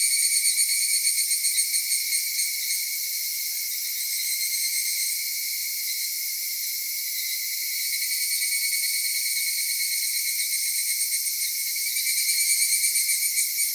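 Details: Japanese summer cicadas around Kitakami's folk village or Tenshochi: continuous shrill ringing with throbbing surges at the start and end and a steadier, softer drone in between.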